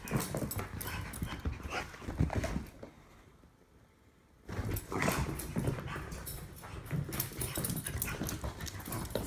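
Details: Rough play between a Jack Russell Terrier mutt and an English Bulldog: deep grumbling growls and panting over scuffling noise, a quiet pause of about two seconds, then the growling and tussling resume.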